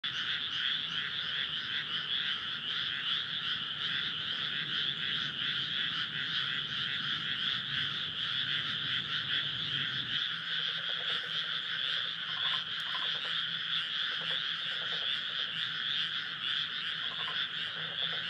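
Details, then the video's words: A powerful frog chorus at a rice paddy in Nara, Japan, on an early-summer night with the moon rising, 25 May 2024, forms a steady wall of overlapping trilling croaks. "初夏の夜、水田と月。カエルの大合唱/SONY α7SIII/リアルタイム星空動画"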